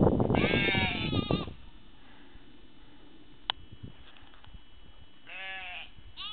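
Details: Sheep bleating: a loud, quavering, harmonic bleat lasting about a second at the start, a sharp click after a pause, then a second shorter wavering bleat near the end over a low steady hum.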